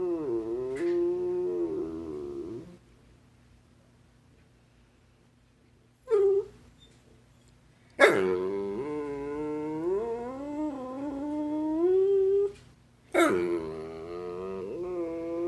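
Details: Very vocal basset hound at home, producing a series of expressive yodelling whines and howls, with a short yip around six seconds and long wavering phrases that rise and fall, separated by brief silences.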